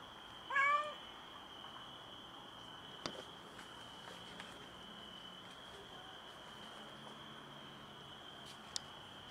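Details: Stray female cat that has just given birth to a premature kitten on a balcony, meowing strangely: a single brief wavering meow at the start, followed by a constant high-pitched hum, a few sharp taps and quiet background.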